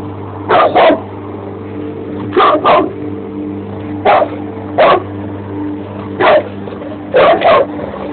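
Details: A Bandog Mastiff that still dislikes the lawn mower barks in loud, sharp bursts, often doubled, against the steady low hum of the running mower.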